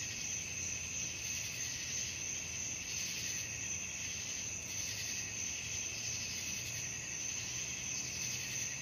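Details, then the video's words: Evening crickets sing a constant piercing trill with rhythmic swells roughly every second, a lower steady tone running underneath, against a faint murmur of low noise. "suara jangkrik malam"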